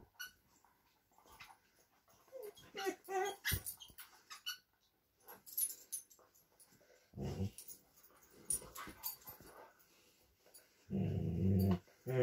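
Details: A Vizsla and a Doberman tussle over a new toy during indoor playtime; scattered clicks and rustles of play, a brief low growl midway and a louder sustained rumbling growl at the close.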